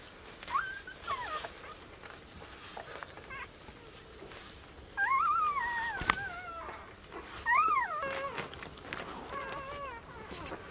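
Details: Four-day-old Golden Retriever puppies from a litter of five males and one female, born 26 April 2018 and recorded 29 April 2018, whimper in short, reedy, arching whines; several cries overlap near the end, with soft rustling and clicks.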